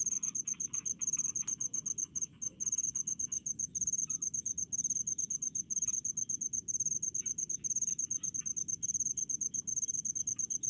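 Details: Rice-field crickets produce rapid bursts of shrill, high chirps in an almost unbroken stream, pausing briefly now and then, over a soft low background hum.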